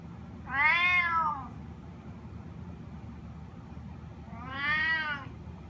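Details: Two loud, rising-then-falling harmonic meows about four seconds apart from Sushi, a spotted snow Bengal cat asking to go outside, over faint low hum.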